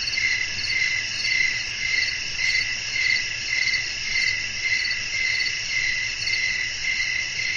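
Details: Night-time cricket chorus outdoors with wind. Short ringing chirps come about every half second, evenly spaced, layered over a dense continuous high-pitched insect drone and a soft low background hum.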